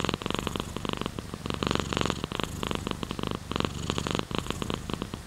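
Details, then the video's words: Cat purring strongly, with rhythmic rumbling bursts pulsing roughly twice a second like breaths in and out, blended with dense rain-like crackle over the whole stretch. "Sleeping with Purring Cat in Your Arm | Rain Sounds, Cat's Purr"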